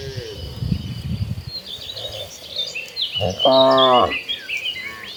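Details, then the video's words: Tame cattle, one of dozens walking toward a green pasture, give a single short lowing moo near the end, with bird chirps twittering high above and soft rustling earlier. "Dozens of tame cattle walking toward a green pasture, the sounds of tame cattle."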